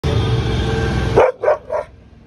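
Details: Pet dog barking at a cat: after loud background music, three short, sharp barks come in quick succession, each about a quarter-second apart, and then the music cuts off to near silence.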